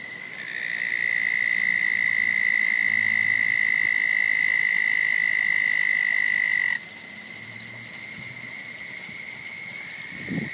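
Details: Frog at a pond where a turtle lives, making a long, sustained, even-pitched trill that runs for about six seconds and then cuts off abruptly, leaving a fainter background.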